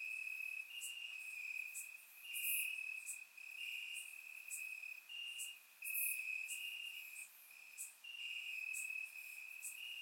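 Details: Several crickets in the grass on a warm summer night in Bulgaria, caught by a surround microphone: continuous high-pitched trilling, broken into overlapping phrases that rise and drop in loudness every couple of seconds.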